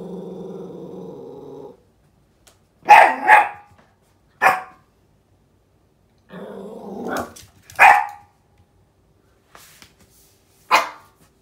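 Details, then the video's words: Yorkshire Terrier puppy, female, nearly 11 months old, indoors and furious at something behind the door: an opening growl, then sharp barks in quick pairs and singles, another growl rising into a bark, and one last bark. "Angry Yorkie"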